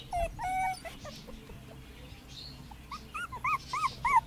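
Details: Puppies on their first day in the garden, 2017: a few thin squeaky yelps early, then a run of short high arched whimpers in quick succession near the end, over low background rumble.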